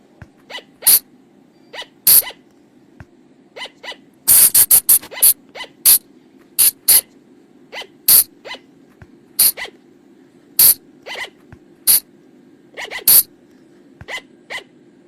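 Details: Flying lemur lure call for night use, recorded in the forest: loud, scratchy bursts repeated irregularly about every second, with one dense flurry near the middle and thin rising squeaks between, over a constant low drone.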